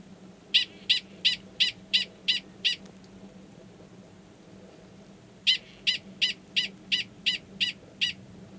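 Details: Male Gunnison's prairie dog 45 calls for an estrous female waiting in a nearby burrow before going down to copulate, Valles Caldera National Preserve, New Mexico, March 2017. Sharp high chirps, seven in quick succession, a pause, then nine more.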